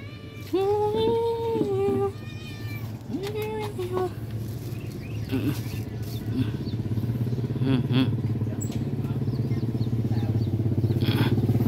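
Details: One of two very hungry cats, a tabby and a black, gives two drawn-out, arching meows, asking for food at feeding time over a steady low hum.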